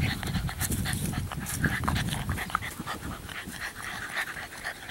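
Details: An 11-week-old female chocolate tri English Bulldog puppy pants and snuffles in quick, rough, breathy bursts, about four each second.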